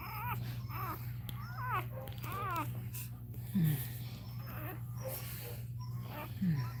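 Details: Cane Corso crying during Cashmere's labour: quick wobbling, trilled whimpers clustered in the first seconds, then quieter squeaks, over a constant low electrical hum and soft room noise.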